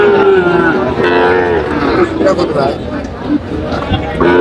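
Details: Sahiwal cattle at a Chandpur cattle market, 23 July 2025, during bargaining over a bull calf: a wavering moo at the start and another at the end, with men's haggling voices between.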